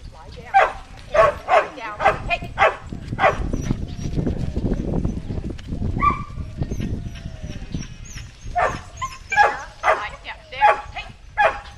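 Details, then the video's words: Cammie, a Shetland Sheepdog herding sheep at Performance Dogs in Action near Sacramento, California, July 2010; bursts of rapid barks open and close the stretch, with a low rumbling noise and a faint whistle in the middle. "Sheltie Herding Sheep"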